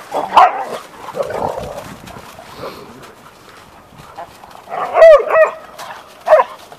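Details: Three setters, one Gordon Setter and two English Setters, at daily play; a loud growling yelp opens, then quieter rumbles, and near the end two sharp whining growls follow close together, with a last short yip.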